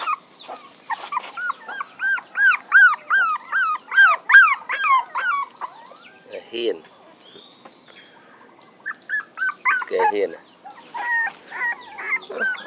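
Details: Puppies whining in fast repeated arched squeals, then a quiet pause with a brief voice-like sound, before the whines resume in a looser series.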